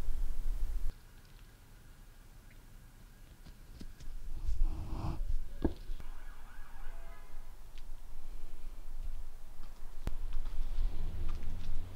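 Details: Low rumbling hum with handling bumps, a few clicks and a brief quiet stretch, and no animal voice.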